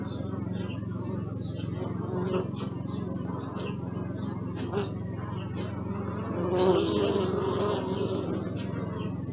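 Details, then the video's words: Bees buzzing, a steady low hum with a brighter, louder droning buzz swelling near the end as one passes close. "Bee sound and video!"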